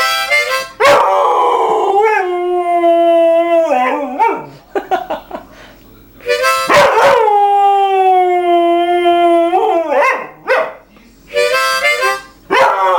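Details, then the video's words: A pet mixed-breed dog, Harmonica Dog, howls along with a harmonica playing the blues. Long, drawn-out, wavering tones rise and fall, then pause and start again. The harmonica's reedy notes run beside the howls through most of the stretch. "Harmonica Dog Blues"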